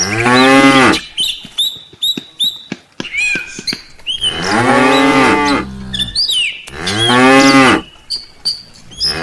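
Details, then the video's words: Tame village cattle heading to the farm pen in the afternoon call out three times, each moo long and loud, about three seconds apart, while birds chirp and tweet in the quieter gaps. "suara sapi desa"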